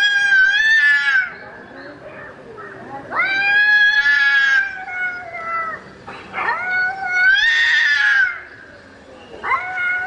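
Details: A domestic cat calling for a mate after dark gives long, loud, drawn-out yowls that rise then sag, repeated roughly every three seconds, with a low background hum.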